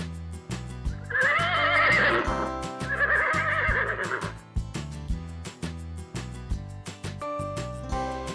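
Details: Horse giving two long, shaky whinnies in quick succession, each wavering and falling, over a steady background music track with a regular beat.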